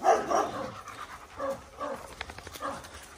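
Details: German Shepherds from a pack of ten playing together on a Maine forest walk. A quick series of short, soft, voiced huffs and yips comes in uneven bursts, several each second, over a quiet outdoor background.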